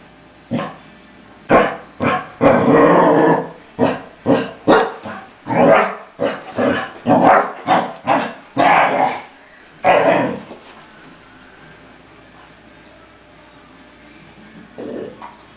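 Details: A female Basset Hound at mealtime lets out a run of deep, drawn-out, grumbling barks in displeasure at another dog, who burps midway through.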